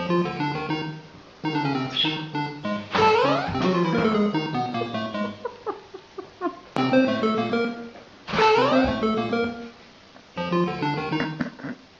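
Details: Plucked acoustic guitar music with quick strummed runs and short pauses, no animal voice audible.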